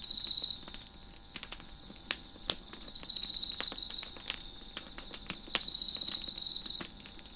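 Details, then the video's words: Crickets chirping beside a crackling fire on a deck, with three bursts of high, rapid pulsed trilling about a second each over a continuous chorus, broken by sharp crackles and pops from the burning wood. "Crackling Fire on the Deck with Crickets Chirping in the Background"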